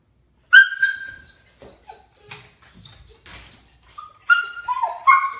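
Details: Rescue dog watching squirrels on TV, giving high whistled whines that hold steady then slide, a few short rising yelps near the end, with quiet broadband clatter between calls.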